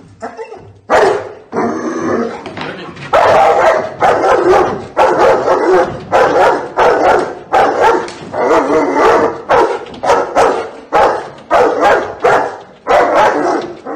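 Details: German Shepherd in New Zealand, growing from puppy to adult, barking loudly and rapidly in harsh, dense bursts with almost no pauses between them.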